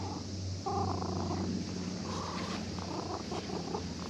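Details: Fishing-port cat, found asleep and now stroked by a child out fishing, gives a contented, unbroken deep purr, steady in level, over light background hiss.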